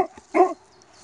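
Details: A Cane Corso named Buddy, trained with treats to bark on the command "laut", gives a single deep, short bark on command.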